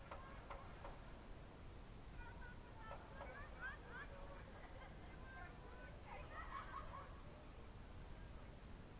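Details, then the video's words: Crickets singing on a June 2023 evening in the Novye Buregi tract, Novgorod Oblast: an unbroken high shrill pulsed trill beneath a songbird's quick twittering phrases in the middle and later in the clip. "Звуки природы , сверчки"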